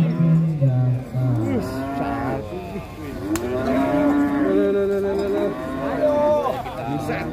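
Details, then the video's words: Big cattle unloaded from a truck lets out a deep, low moo in the first second, then wavering tonal sounds mix with loud music through the rest. "INI DIA SAPI TN BIMASAKTI TURUN DARI TRUK OLENG"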